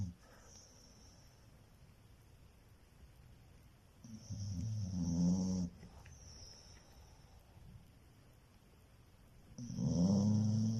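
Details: Sleeping pet dog snoring, low rough rumbling breaths about every five to six seconds, two loud snores with quiet pauses between them.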